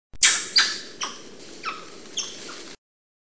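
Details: Black-handed spider monkey (Ateles geoffroyi) calling: a series of five sharp, high squeaky notes, each starting loud and sliding steeply downward, spaced about half a second apart, fading in strength toward the end.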